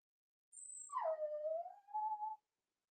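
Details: Whining from four-week-old Cavalier King Charles Spaniel puppies kept in a home pen during socializing with adult dogs: one wavering cry that dips low, climbs back up, then ends in a brief higher note.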